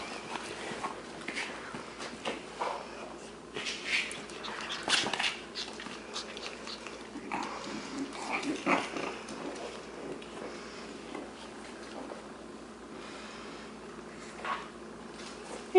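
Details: Six-week-old Shih Tzu puppies, male littermates, at play indoors: rough scuffling with soft growls and short yips scattered across the clip, plus bursts of louder rustling around the middle.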